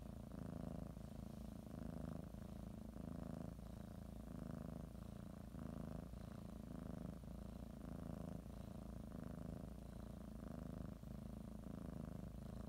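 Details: Domestic cat purring while kneading and biting a blanket before her morning nap; continuous soothing low rumble rising and falling with breathing, around eleven breath cycles, quiet room with light rustling.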